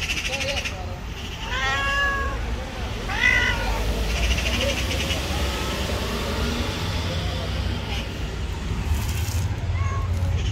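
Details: Angry, jealous white female cat, one of the street cats shown, gives two drawn-out, arching meows in the first few seconds, then quieter mews, over steady low traffic rumble and occasional human voices.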